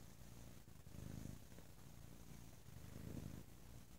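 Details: Bo, a pet cat, purrs very loudly on a lazy Sunday, a throaty low vibration in two clear swells about two seconds apart.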